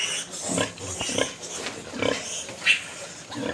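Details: Pigs in a piggery where a breeding sow has just farrowed, in December; short rough grunting bursts come irregularly, several in quick succession, with faint background noise.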